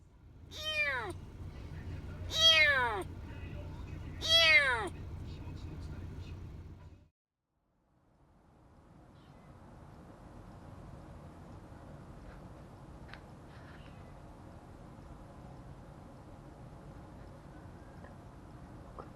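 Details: A kitten under a month old, lost from its mother and later rescued, gives three high, arching, plaintive meows about two seconds apart, followed by a low steady background hum.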